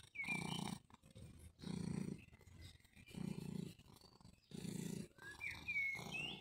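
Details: Cat named Mjaullo, back again in summer, gives steady low purring pulses, about five over six seconds, while a bird whistles short rising notes in the background.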